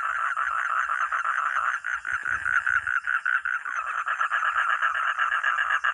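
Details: Frog or toad calling, a dense run of rapid raspy pulses centred in the mid range, with several overlapping callers and a short dip near the two-second mark.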